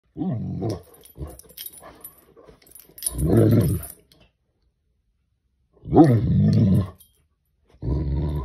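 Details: A Great Dane confronting a crayfish gives deep, resonant, drawn-out throaty barks with a growling rasp at uneven gaps of a few seconds. Faint knocks and scuffles fill the pauses.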